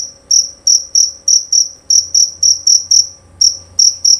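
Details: Male jerabang cricket giving a loud, clear song of sharp, high-pitched chirps. Each chirp is a short pulse, repeated about every third of a second with small uneven gaps. The background is otherwise quiet.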